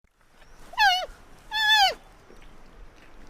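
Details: Panda calling: two loud, nasal, bleating calls about three quarters of a second apart, each arching slightly and falling at the end, over quiet background hiss.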